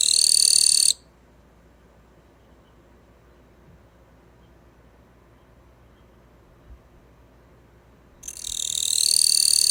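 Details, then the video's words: Caged Gampsocleis bush cricket singing indoors; a short, harsh, high buzz opens, followed by about seven seconds of quiet, then a longer, strident buzzing phrase that swells toward the end. "キリギリスの鳴き声 The sound of the Gampsocleis"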